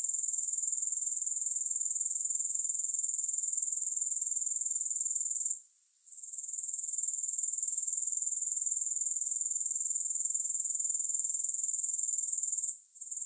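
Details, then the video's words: Grasshoppers in a continuous high, hissing chirr with a steady pulse of about four beats a second; the chorus briefly drops out twice, near six and thirteen seconds, then resumes. No music or other sounds. "Grass Hopper Sounds"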